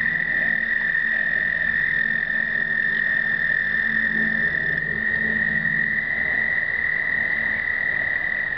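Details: Breeding American toads, 2009, recorded on a pocket point-and-shoot camera: a thick chorus of long, even, high-pitched trills running unbroken throughout, several voices layered into a constant ringing hum.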